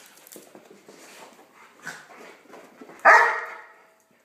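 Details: Buster the Pomeranian poodle and Nelson the gentle golden retriever romping together indoors; quiet scuffling and low grumbles lead to one loud, sharp bark near the end that fades quickly into silence.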